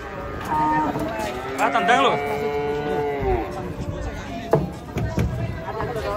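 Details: A long, level lowing call lasting about three seconds from a large fat cow stepping off a truck, overlapped by a brief shouted voice, then clattering noise.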